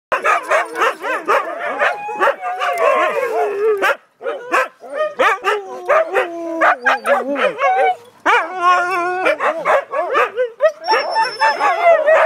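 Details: Siberian Huskies, several dogs together, yipping, howling and woo-wooing in short overlapping bursts, a dense chattering chorus of rising and falling voices with brief pauses.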